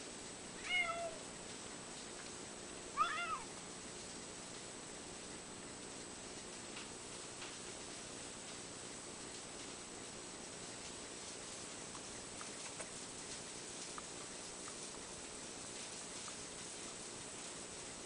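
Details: A male cat lying in the sunshine cries for pats: two short, faint, rising meows near the start, the second louder, followed by a long quiet stretch with steady background hiss.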